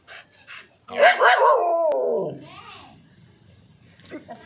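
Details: Kombai dog, apparently named Vaisu, giving a loud whining yelp that slides downward over about a second and a half, preceded by two soft short sounds and followed by quieter rustling and faint, brief sounds.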